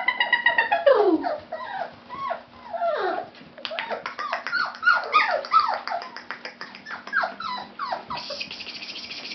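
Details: Fawn Labrador Retriever puppies whimper and whine continuously, long falling whines at first, then dense, fast, overlapping yelps and squeaks.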